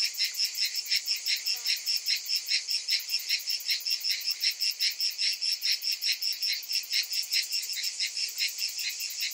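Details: A summer chorus of many cicadas: a loud, high, grating buzz that beats steadily in quick pulses, with a faint brief chirp early on behind the insects.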